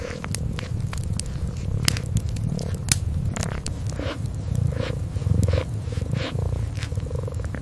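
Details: Deep continuous purring from a sleeping kitten by the fireplace, a low even drone under frequent snapping fire crackles and occasional soft tongue-grooming sounds.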